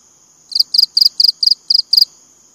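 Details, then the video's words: Cricket stridulation: seven quick, sharp high chirps in a little over a second, each a doubled or tripled pulse, against a quiet background with a soft constant high hum. "BUNYI CENGKERIK"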